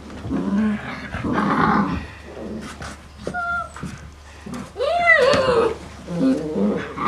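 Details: Five-week-old female Great Dane puppies from one kennel litter give high, arching whines and short yelps while people talk nearby.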